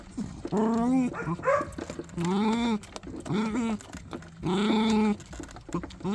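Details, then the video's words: Puppy making strange sounds while eating: a run of drawn-out, moaning, whine-like calls that rise and fall in pitch. Each lasts about half a second to a second and comes in separate bursts with short pauses between. "이상한 소리를 내며 먹는 강아지"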